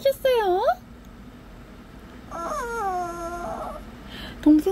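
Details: Shih Tzu puppy whining and grumbling back at its owner: a short swooping whine that dips then rises, then a long, level, drawn-out moan, and a brief whine at the end, with a woman talking softly between them.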